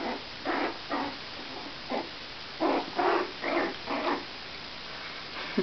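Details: Four-week-old Jack Russell Terrier puppies give short, hoarse, squealing yelps, about eight bursts in under six seconds at uneven intervals, with a faint steady background hiss.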